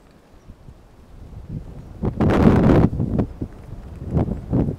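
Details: Socks, a male retriever aged 5.5 years, filmed 6 November 2011, giving a rough snorting wheeze that swells in the middle and trails off into shorter huffs, with rustling and wind around him.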